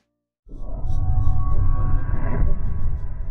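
A howler monkey lets out a long, low, rasping roar, heavy and throaty throughout. These howls carry within the troop to attract mates or ward off rival males.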